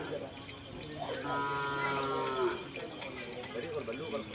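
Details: Cattle at a Karapan Sapi bull-racing training session at the Asemanis field on Madura, East Java, Indonesia, ahead of a DRT event. One drawn-out, harmonic moo of about a second. People talk nearby before and after it.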